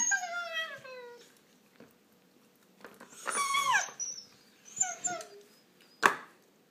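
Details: Shiba Inu puppies playing indoors and squabbling over a toy. A long, descending, whistly whine opens, then sharp, bending yelps come in separate bursts, ending with one abrupt, loud yip.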